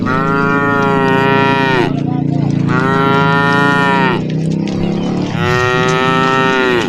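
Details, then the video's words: Tame cows walking in a herd through the forest: three loud, rich, harmonic moos of nearly two seconds each, following one another closely, over a low humming background. "herding a herd of tame cows walking through the forest while making sounds"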